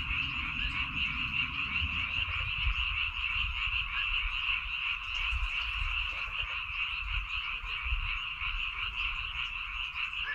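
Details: Many frogs calling together in Baengnyeongdo Island rice fields, Korea, a continuous rattling croak chorus with a high, even band of calls and soft low-frequency wind or handling noise underneath.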